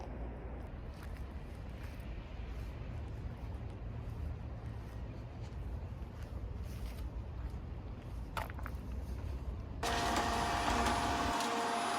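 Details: Steady outdoor rumble of passing traffic and footsteps, ending in a brighter burst of broadband noise with a faint tone.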